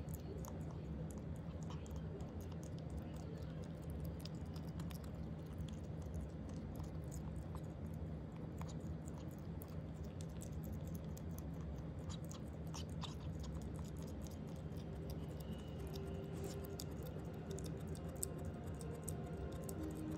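A ferret chewing its food, with soft crunching and clicking bites over a low, steady rumble.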